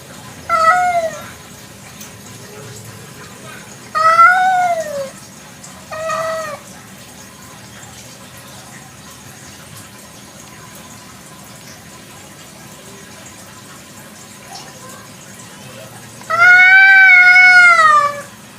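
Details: Village cat at night giving four meows, clear harmonic calls with falling or arched pitch at about 1, 4, 6 and 17 seconds, the last long and drawn out; faint background hum between calls.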